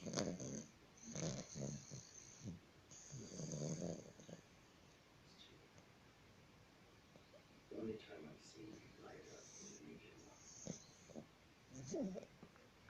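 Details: Bulldog snoring: rough, low rumbling breaths come in uneven bursts at the start, around one and a half seconds and near four seconds, then softer snorts later, over faint room hiss.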